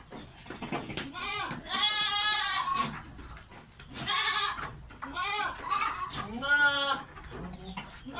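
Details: Bleating of a goat in heat seeking to mate: long, strongly harmonic, quavering cries, four main calls with short gaps, each wobbling in pitch.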